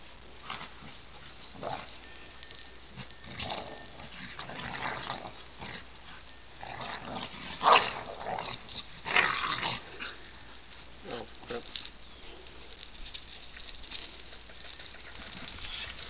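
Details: Dogs playing together make odd vocalizations: scattered short yelps, grumbles and whines coming in irregular bursts, with a few louder peaks midway, over a steady background hiss.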